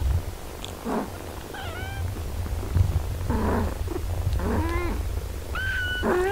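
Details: Mother cat tending her six-day-old kittens, with a series of about five thin, high mews, some bending upward, spaced roughly a second apart over a constant low background hum.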